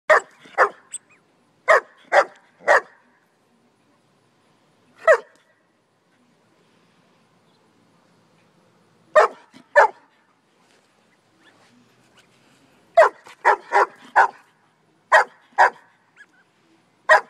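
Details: German Shepherd barking in loud, sharp single and paired barks, about sixteen in all, spread unevenly with pauses of up to four seconds, on an otherwise quiet background.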